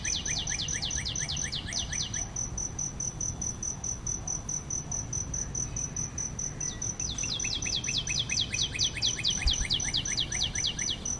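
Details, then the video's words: Continuous high, pulsed cricket trill near aloe vera flowers, with bursts of fast, repeated descending sweeps at the start and again after a pause, over a low background rumble. "Cricket sound/ Bươm Bướm, Hoa Nha đam và tiếng Dế kêu"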